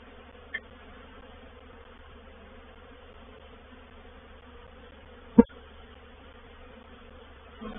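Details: Quieter buzz from a honey bee reproductive swarm settling into a bait hive, Painted Peacock Manor, 04/07/21. The soft humming drone is steady, broken by two sharp clicks, one early and a louder one past the midpoint.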